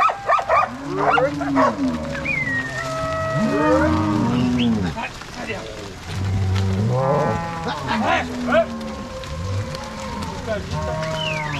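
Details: Crossbred Angus-Nelore cows on Fazenda São Matheus, Ortigueira, Paraná, 16 March 2022, herded from corral to pasture by three cowboys and six dogs: many overlapping deep, wavering moos rise and fall, with a few thin high whistles above.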